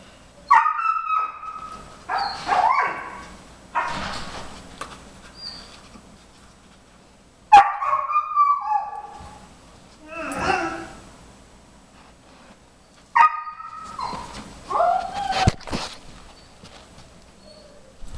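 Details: Jimmer, a 4.5-month-old Briard puppy, calls from the background while Queen, a 5-year-old German Shepherd, tries nosework for the first time, finding treats under tennis balls. High, harmonic whines and yelps come in short bursts separated by quiet gaps.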